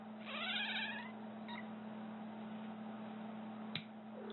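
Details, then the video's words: Cat reacting to nail clipping with one short, warbling, quavering cry near the start, then quiet with a click and a steady low hum. "Cat cringes at the sound of nails being clipped"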